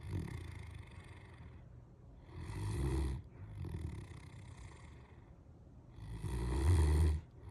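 A Great Dane snores in deep, rumbling breaths that swell and fade every few seconds.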